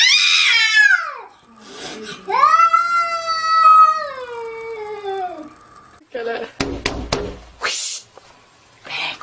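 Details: Angry domestic cats fighting, a harsh rising-and-falling yowl followed by a long sustained wail, then scuffling, thumps and noisy bursts as the fight breaks out.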